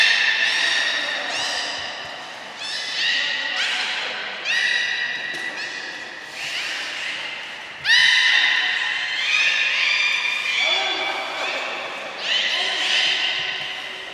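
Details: Belugas at Port of Nagoya Public Aquarium during a 2 April 2023 training session with all animals taking part; dense chorus of layered tonal whistles and squeals, one after another in quick succession, echoing indoors.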